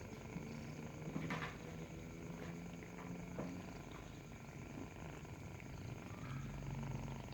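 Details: While nursing, a kitten purrs in a continuous low, throbbing drone, with a clatter like a cupboard or handling noise about a second in and light rustling later.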